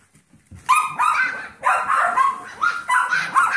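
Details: Seven-week-old Yorkie foster puppies, Max, Molly, Meldoy and Magenta, entertained by Trouble the Golden Retriever mix foster; after a faint start, sharp high yaps and whiny barks erupt in three loud bursts.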